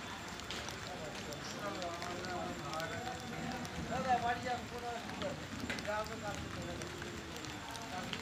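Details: Two angry male cats fighting over their area and breeding, drawn-out wavering yowls rising and falling in long harmonic arcs, swelling louder midway through, with steady background noise.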